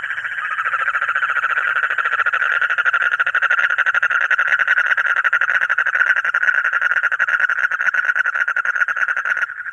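A frog gives a loud, fast pulsing trill that runs steadily without a break.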